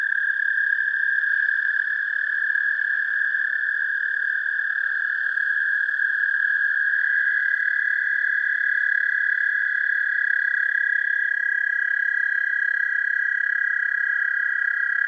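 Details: Sustained American toad trill, recorded with an amplified mono parabolic microphone linked to a DSLR camera; one long, even, ringing trill runs throughout, while a second, slightly higher trill joins about halfway, the two overlapping.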